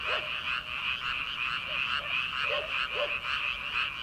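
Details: Frogs calling from rice paddies in early summer, before rice planting, at night: a dense overlapping chorus of rapid pulsed croaks held high and steady, with lower twangy notes breaking through every half second or so.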